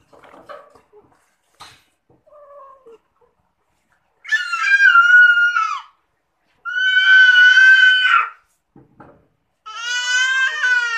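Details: A domestic cat that likes bathing gives three loud, drawn-out meows with strong harmonics, each lasting one to two seconds with pauses between, after a few soft faint sounds in an indoor room.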